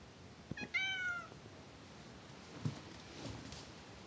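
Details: Fitz, a pet cat described as disliking its owner since the day he arrived, gives a single harmonic meow that bends slightly downward over about half a second, followed by quiet room noise and a few faint bumps.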